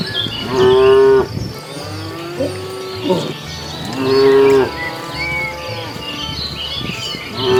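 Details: Several cows wandering leisurely along a road looking for food; loud harmonic moos with a steady tone, two long calls about three seconds apart and softer lowing between, over a constant low hum and faint chirps.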